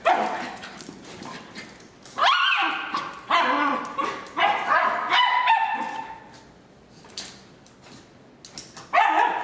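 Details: Two terriers, Moon and Griff, playing together; short bright yips and growly barks come in bursts separated by quieter pauses, with scuffling between.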